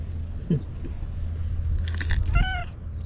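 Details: Stray white cat living among seaside tetrapods, answering as a woman calls it on a hot day; one clear meow with a harmonic, slightly falling tone comes near the end, over a steady low rumble of wind or surf.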